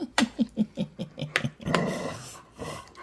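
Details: Pet Chow Chow dog indoors making a run of short, low grunting growls, about five per second, then a longer breathy rumbling growl that fades out.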